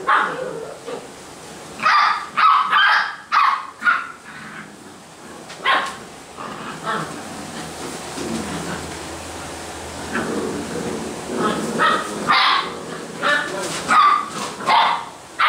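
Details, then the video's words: Basset Hound puppies from a kennel in Brazil giving scattered high-pitched barks and yips in short clusters, separated by quieter gaps with faint background noise. "BASSET HOUND filhotes"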